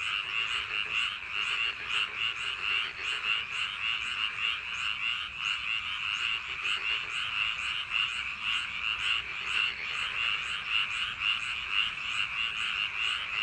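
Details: A dense chorus of paddy-field frogs on a summer night croaks continuously, overlapping calls forming a steady, pulsing trill, possibly with rain.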